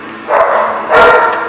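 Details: Dog barking, recorded 2/9/18: two short, rough, harsh barks about 0.7 seconds apart, with a noisy indoor background.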